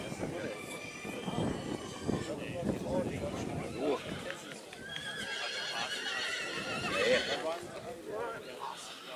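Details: Black Forest draught horse mare Nessaja, three years old, shown in the group of three-year-old mares at Rossfest 2022 in St. Märgen on 11 September 2022; a wavering, high whinny rises in the second half over steady crowd chatter and speech.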